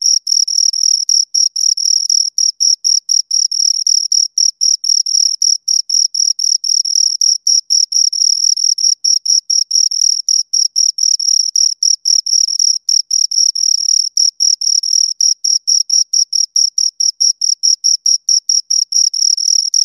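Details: Continuous chirping of two crickets: shrill, rhythmic pulses repeating around four times a second for twenty seconds, slightly uneven spacing where the two callers overlap, otherwise quiet background.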